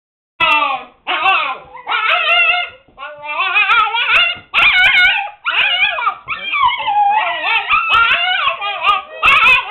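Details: Several Siberian Husky pups, seven weeks old, confined to a puppy pen and making a racket: overlapping high yips, whines and wavering howls in dense bursts, with brief gaps between bouts.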